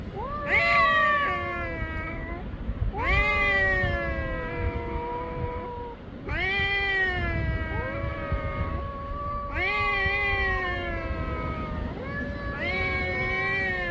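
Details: Black cat calling during a meeting, long yowling meows that rise sharply then slide slowly downward, about five drawn-out cries spaced two to three seconds apart over low rumbling background noise.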